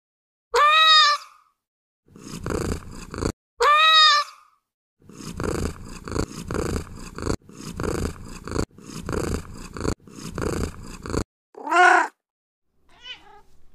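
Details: Domestic cat giving two drawn-out harmonic meows, each under a second, between a run of rough, rasping, growl-like bursts; a short higher meow near the end, then a faint trailing call.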